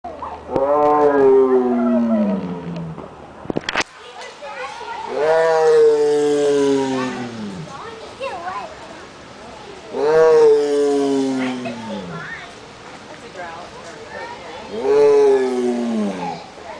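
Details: A caged tiger at the Omaha zoo in Nebraska gives long, deep, moaning roars that fall in pitch, repeated about every five seconds, possibly around feeding time.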